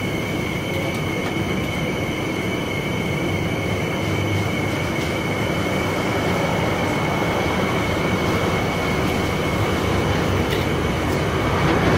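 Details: Steady loud rumbling like a train in motion, with a constant high whine running throughout and no animal voice.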